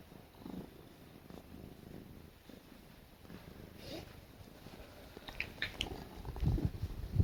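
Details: Petted indoors while she snuggles, a female cat purrs in a low, rumbling drone that grows louder toward the end, broken by a few short squeaky sounds.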